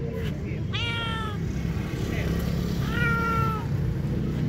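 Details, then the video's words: Hungry stray street cats meowing in search of food: two drawn-out, harmonic meows that slide downward in pitch, with a softer short mew between them, over a steady low engine rumble. "Heartrending Meows: Witness Stray Cats' Hunger"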